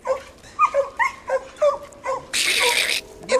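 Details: During a coon-hunting training session, pup Ginger, an English coonhound, faces a raccoon hung in a tree while an old dog barks. A quick run of rising yelping barks, then a loud harsh rustle and a final bark.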